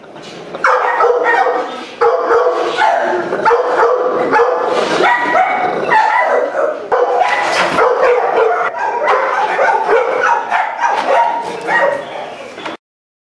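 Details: Dog with aggression problems in Miami, barking almost nonstop in dense, overlapping, irregular bursts of harsh, ringing barks for about twelve seconds, with human voices mixed in.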